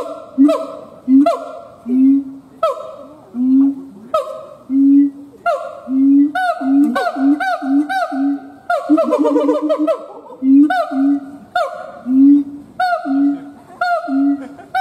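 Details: Howling siamang gibbon giving a long run of booming, honk-like notes with rich overtones, spaced irregularly at first, then a brief burst of rapid barking calls before the steady hoots resume.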